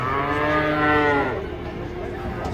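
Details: Giant cattle mooing while being unloaded from a truck: a long, low, harmonic moo that swells and then fades, over crowd chatter and outdoor background noise.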